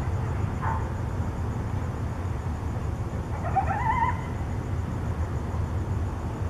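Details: Coyotes contact calling at night in Tucson: a short high note, then a wavering, rising yelp with bright overtones about three seconds later, over steady low rumbling background noise.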